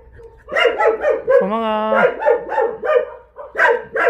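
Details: Jindo dogs barking in a breeding kennel at the Jindo Dog Theme Park in Jindo County, South Korea: a run of loud harmonic barks, one drawn into a steady whine-like howl, with more dogs overlapping.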